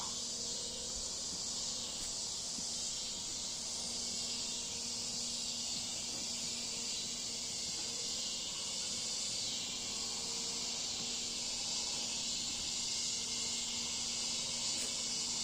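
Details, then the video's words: Cicadas singing in a backyard on a cool August evening in Bolivar, Missouri: a steady, dense high-pitched hiss of insect song, unbroken for the whole stretch, with a faint low hum underneath. "Listen to the cicadas singing, okay, in our backyard. Just so pretty."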